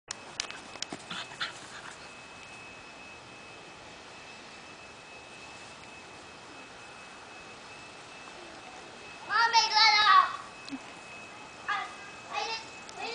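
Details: Mini Aussie and a rat terrier puppy at play: after quiet seconds with a faint steady tone and a few soft clicks, a burst of high, harmonic yelping whines rises, then several shorter yips follow near the end.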